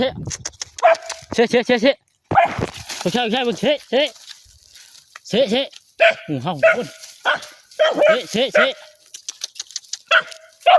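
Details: Dog that fought a cobra and was left nearly dead and almost blind, giving short harmonic barks in irregular bursts, several close together, while people talk and laugh loudly throughout.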